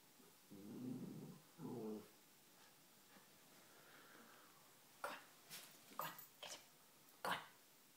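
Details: A female pet dog, for the first time ever, gives two low, gruff woofs in quick succession at the household's fish, followed by sharp knocks and taps.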